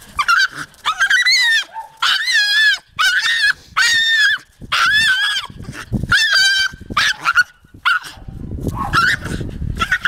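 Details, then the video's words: Insistent high whining from Taka, a Jagdterrier, with repeated squealing bursts whose pitch wobbles and rises. The calls are separated by brief gaps and fade into low rustling near the end. "Taka a jagdterrier"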